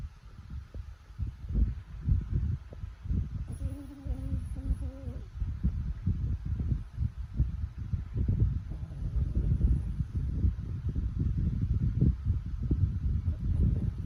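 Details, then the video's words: French Bulldog snoring, a steady run of low, rough, rumbling breaths with buzzy texture, pulsing irregularly throughout with a faint higher whine near the middle. "French Bulldog Snoring"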